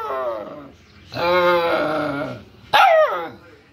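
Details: A one-month-old Bhutanese mastiff pup, rescued from the wild, whining in long, steady, nasal cries: a fading wail, a sustained moan of over a second, then a sharp high yelp that drops in pitch.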